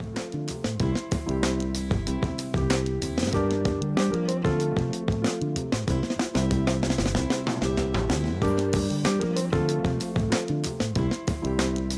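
Steady drum-driven instrumental music with bass and repeating harmonic layers fills the whole recording, with no animal sounds audible.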